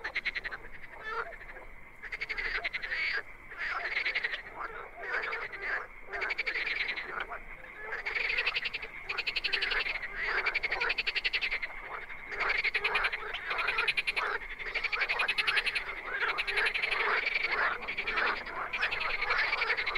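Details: Dense chorus of many wild frogs heard at night: rapid, buzzy, pulsed croaks pour out almost without pause, individual callers overlapping in waves, with faint high chirps above the din.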